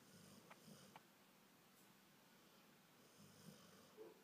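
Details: Golden retriever named Faith snoring: soft, low, rumbling snore breaths around the half-second mark and again near three and a half seconds, quiet in between over a steady faint room hiss.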